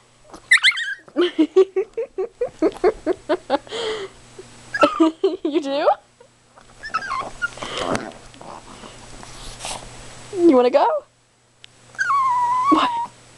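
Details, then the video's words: Excited female Chihuahua Precious howls as if channelling her inner wolf: a rapid run of short yips, then longer wavering howls rising and falling, with a person chatting affectionately over her. "howling and demanding chi"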